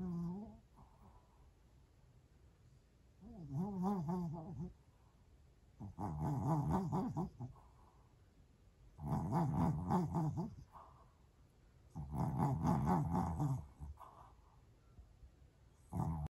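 A Pomeranian makes low, throaty grumbling moans in bursts roughly every three seconds.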